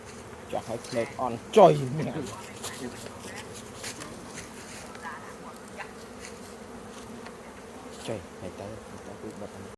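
Honey bees give a steady, low droning buzz that holds the same pitch throughout.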